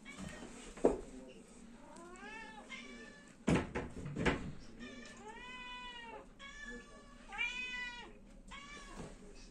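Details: Domestic cat meowing before being fed indoors, several drawn-out harmonic meows, some rising then falling, spaced over about ten seconds, with a few sharp knocks and faint human voice in the room.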